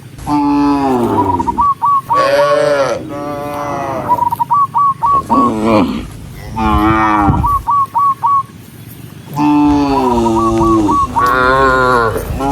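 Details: Tame cattle herded together along a countryside path at sunset, mooing to call other cows home: long, deep, wavering moos with rich harmonics, one after another, between bursts of short, quick whistled chirps repeated in fast series.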